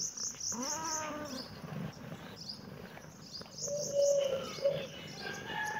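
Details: Kitten meowing in reaction to seeing a camera: a drawn-out harmonic meow that rises then levels off near the start, then a steadier, shorter meow around four seconds, with high, quick bird chirps repeating in the background.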